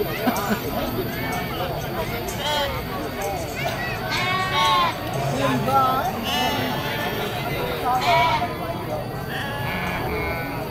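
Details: Goat kids bleating at a busy goat market, with billy goats also present: several wavering, nasal bleats rise out of steady crowd chatter, voices and background noise.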